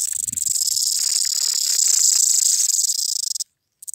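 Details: A mountain cicada's dense, high, shimmering drone pulses with a rapid throb for about three seconds. It then stops abruptly, followed by a short restart.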